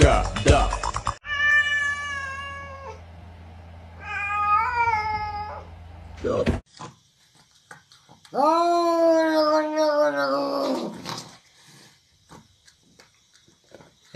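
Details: House cat producing a string of loud, prolonged meows, the first flat and steady, the later ones rising then sagging, with a person speaking and a low hum between the calls.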